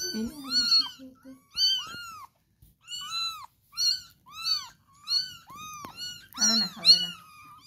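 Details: Cat meowing repeatedly indoors: clear, high, bowed calls come in quick succession with short pauses, some doubled, plus a lower rough murmur at the start and near the end.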